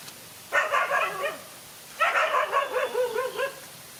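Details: Scuffle between a lone dog and two male dogs: two sustained, wavering snarling yelps, the second longer, with falling tones at their ends.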